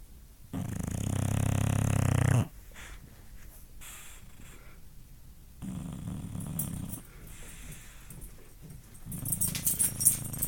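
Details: A female English Bulldog snores in her sleep with deep, rumbling breaths, loud at first and then softer.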